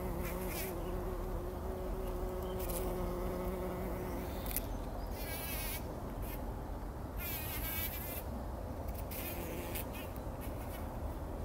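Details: Several bumblebees at work in poppy blossoms before sunrise, bathing in pollen, 2019; a faint low hum in the first half, while warbling birdsong rises above it in repeated bursts.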